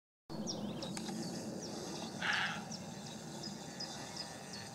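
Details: Roe deer buck barking in reply to a person imitating its bark: a single short, harsh, hoarse bark over steady birdsong with high chirps and whistles and a low rural background hiss.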